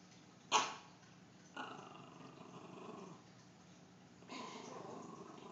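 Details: Pet dog, said to be afraid of clowns, growling quietly indoors: a sharp burst, then low rough growls with a raspy, harmonic-rich rumble that swells, fades, and returns near the end. The room is otherwise quiet.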